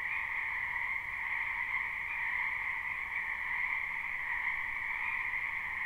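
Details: Springtime chorus of wild frogs in a backyard wetland, live recording: continuous overlapping croaks merge into a steady, buzzing wall of sound with two pitch layers, unbroken and even in loudness.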